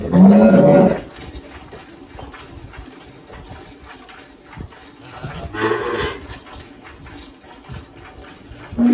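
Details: Girolando cow Malhada, aged 18, on a farm in Anápolis, Goiás, Brazil, March 2023: a short loud moo opens, a softer distant moo follows midway, and another begins at the end, with faint rustling between.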